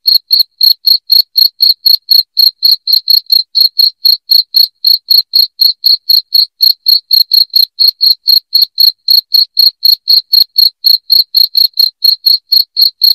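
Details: Shrill cricket chirping, played to repel rats indoors, runs without a break: sharp high pulses repeated about four times a second in a steady, slightly uneven rhythm.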